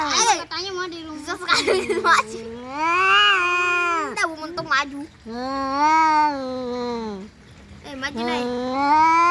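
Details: Domestic cats fighting, uttering long bending yowls one after another, some sharper bursts at the start, harsh and loud throughout.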